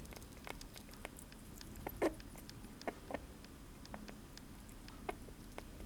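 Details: Pet sugar glider munching blueberries in a small room, giving soft clicky chewing ticks with a few louder, fuller smacks near the start and end of the clip, over faint background hum.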